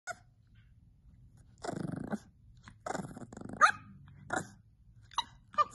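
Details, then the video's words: Puppy indoors giving short growling bursts alternating with brief high squeaky yelps, a few sounds spread irregularly over several seconds. "the squeakiest little puppy you've ever seen"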